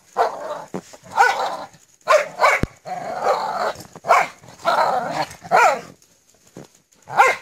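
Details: A Jindo dog in a snowy rural Korean backyard, playing with its family (mate and daughter), gives short, harsh barks and yips in bursts about once a second.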